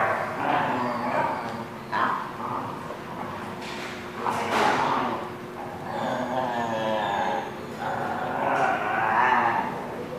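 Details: Dogs at The Barking Lot on 21 April 2017. Short, harsh barks come in bursts every second or two, some with a tonal, whining edge, over a steady background hum.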